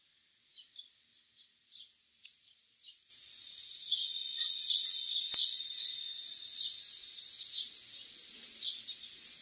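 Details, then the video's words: Philippine cicada heard at the foot of mountain areas in Pit-os and Bacayan barangays, Cebu City, giving its eerie cry: a loud, high, sustained buzzing drone swells after scattered bird chirps, then slowly fades as chirps continue. "The Eerie CRY of the Philippine Cicada"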